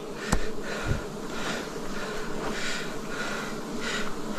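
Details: Forest honey harvest, 2026, with wild bees droning in a thick, constant hum, interrupted at the start by two quick sharp knocks from handling.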